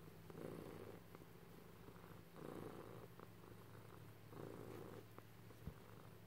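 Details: Purring house cat receiving affection, low vibrating rumble swelling on each breath about every two seconds, with a steady underlying hum and occasional small taps.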